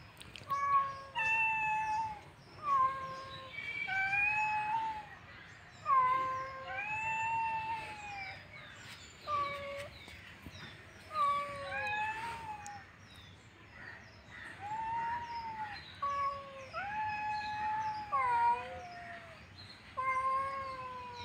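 Domestic cats trade long, wavering yowls, rising and falling in pitch, during a fight.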